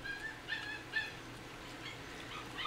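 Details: Four-week-old miniature dachshund puppies eating rice cereal mixed with canned puppy food for the first time. Faint, high, squeaky whimpers come in short bursts, with a quiet room hum underneath.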